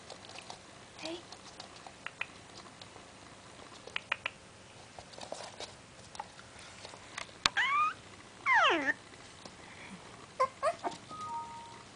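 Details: A 5-week-old Maltese puppy gives a squeaky, high yawn that slides downward and ends in soft whines.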